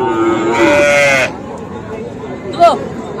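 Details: Young cattle, small bulls and heifer calves including Sahiwal, at a cattle market in Comilla, Bangladesh, on 13 September: one drawn-out nasal moo lasting under a second, then a brief higher bleat-like call, over a low murmur of people.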